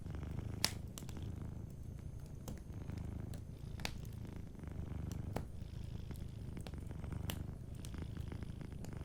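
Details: Deep, soothing purr of a sleeping cat, a rumbling drone beating in regular breath cycles, with fireplace crackles and faint pops sprinkled throughout.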